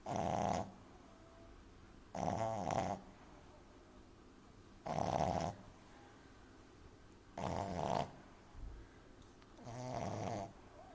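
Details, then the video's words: Exaggeratedly loud snoring from Amy, a young French Bulldog sleeping in someone's arms: five rasping, buzzy inhalations roughly every two and a half seconds, each lasting under a second, separated by near silence. "Französische Bulldogge Amy Welpe Schnarcht übertrieben laut lustig"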